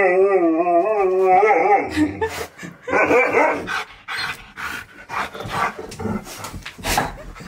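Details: Excited male Siberian Husky, told by a recording that his best friend is coming over, gives a long wavering, howl-like 'talking' whine for about two seconds, then a run of short rough barks and grumbles mixed with a person's voice.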